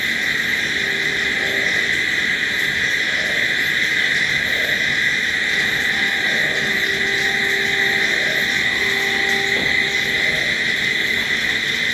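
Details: Continuous night-time cricket chorus: shrill, steady trilling without pauses, layered in several high bands, while a few soft low drawn-out tones come and go in the background.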